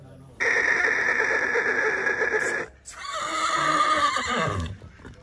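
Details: A horse gives two loud, quavering whinnies, each trailing off downward at the end, excited at hearing other horses' whinnies.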